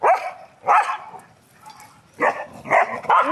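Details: English Springer Spaniels at play in a dog park, giving loud, harsh barks: two spaced barks, a quiet pause, then three barks in close succession.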